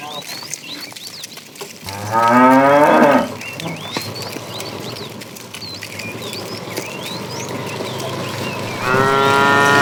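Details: Morning herding of tame cows running happily toward green pasture: a wavering, throaty moo around two seconds in, then a steadier moo rising at the end, over constant small bird chirps and field noise.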